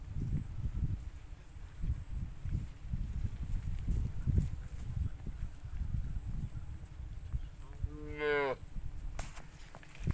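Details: Cattle, a fat cow kept for fattening, gives one harmonic moo near the eight-second mark, rising then falling, over steady low rumbling background noise.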